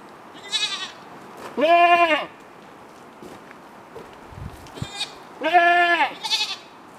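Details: Kiko-Boer cross mother goat calling her two-and-a-half-month-old daughter for milk: two long, wavering, nasal bleats about four seconds apart, each with shorter higher bleats, perhaps from the kid, around them.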